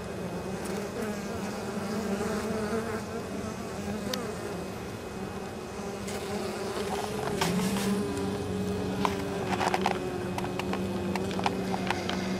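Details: Many honey bees flying home loaded with pollen and nectar at an apiary beside fields, on a mild late-October day; a continuous low drone whose pitch dips and shifts as bees pass, with faint ticks.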